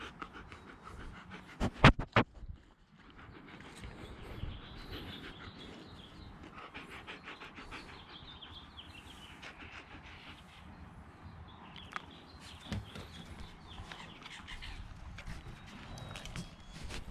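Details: Siberian Husky panting, rapid soft breaths about three per second after a few loud knocks near the start, with faint outdoor background noise.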